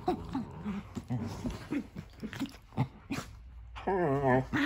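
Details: Pet dogs Nala and Jersey at play in a new playroom, Nala not wanting Jersey in the tent; low rhythmic growling pulses repeat rapidly, then a wavering high whine, over a faint background hiss.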